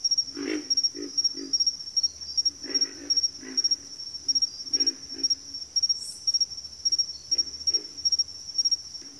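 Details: Frogs in a backwater chorus give short, deep grunts in loose groups of two or three, repeating through the clip, set against an unbroken shrill insect trill and a soft low hum.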